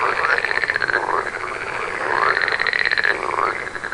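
Frogs call at night in a steady chorus of pulsed, rasping trills with rising sweeps.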